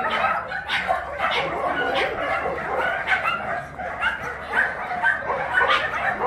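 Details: Abandoned large dogs at a shelter in Yangsan, Korea, let out for their exercise time, bark continuously; sharp, overlapping barks repeat roughly twice a second in an uneven, excited chorus.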